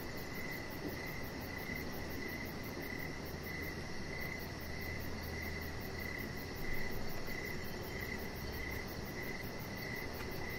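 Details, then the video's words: Outdoor evening ambience on a deck under decoration lights, with a chihuahua puppy resting nearby: crickets give regular, closely spaced pulsed chirps at a steady mid pitch, over a low droning hum that briefly swells. "Cricket Sounds"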